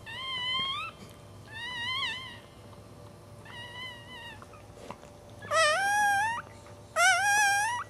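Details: Newborn Cairn Terrier puppy, the fourth of a litter, filmed around its birth. It gives five high, harmonic squealing cries in short bursts. The first three rise slightly and the last two are louder and wavering, over a steady low hum.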